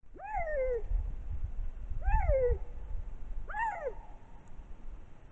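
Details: A lynx, caught by a trail camera in spring in Matsalu National Park, Estonia, gives three drawn-out, cat-like yowls that rise and then sag, roughly every two seconds.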